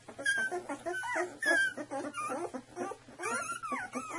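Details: Vision Saluki litter, two weeks old, puppies crying with wavering squeals and thin whistled whines, several voices overlapping, faint low hum beneath.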